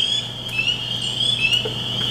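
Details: Spring peepers in Michigan wetlands chorus with high, clear, rising peeps, a mating or advertising call, overlapping into a steady shrill ring.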